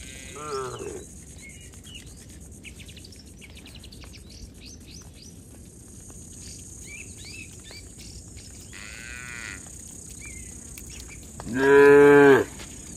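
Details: A herd of tame cattle heads home along a village road beside their herder. Distant soft lows are heard near the start and middle, then one loud drawn-out moo near the end, with scattered bird chirps throughout.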